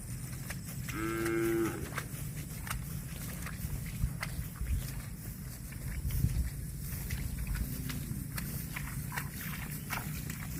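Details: Grazing cattle give a short, bright moo under a second long near the start, with a fainter, lower moo several seconds later, over steady low-pitched rumbling and intermittent clicking noises.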